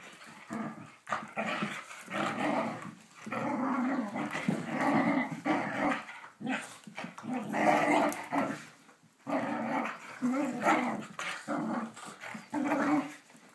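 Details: Whippet growling while playing: a rough, rumbling growl in bursts of one to three seconds with short gaps, continuing through the clip; a person speaks briefly nearby.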